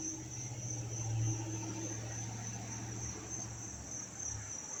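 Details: Dense chorus of crickets chirping in Dobbs Ferry, New York, August 19, 2025, a steady high pulsing trill over a strong low mechanical hum.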